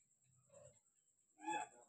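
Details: Oyen, a pet cat, briefly climbs down from the ceiling to beg for food. A faint low murmur is followed by one short, brighter meow near the end, with a steady thin high whine underneath.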